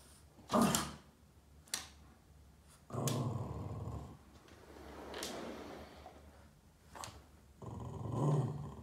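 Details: Boston Terrier Yoda indoors, chasing shadows on a wall and upset, gives low rumbling growls in two drawn-out bouts, the first around the third second and another near the end, between sharp clicks and knocks.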